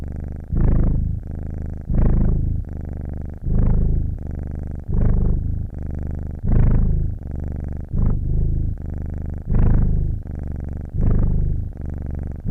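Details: Purring domestic cat, continuous low buzzing rumble pulsing with its breath, loud inhalation-exhalation swells recurring roughly every one and a half seconds across nine cycles, no other sounds.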